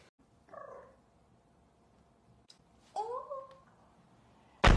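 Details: Ariel, a young shorthaired Maine Coon cat, meows twice: first a brief falling mew, then a longer call that rises and levels off. A loud thump closes the recording.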